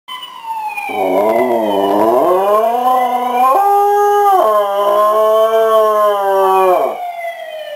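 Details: Yoko the dog howls on hearing an emergency siren: one long, wavering, rising then level howl lasting about six seconds, sung over a loud wailing siren that rises and falls throughout.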